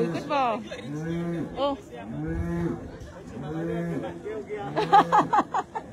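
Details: Dairy cows on a clean dairy farm in Mộc Châu, Sơn La, Vietnam: a run of low, drawn-out, droning moos repeated roughly every second, with people chatting and exclaiming nearby.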